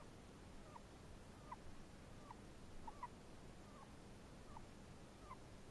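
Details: Chinese hamster making a possible snoring sound: short, faint, downward-bending squeaky chirps repeated roughly every three-quarters of a second over a steady background hiss.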